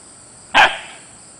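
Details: Single sharp bark from Zephyr, a playful 4-month-old female Siberian Husky puppy who is teething, rolling and somersaulting outdoors; one short loud yelp-like bark with a brief fading tail over steady high cricket hum.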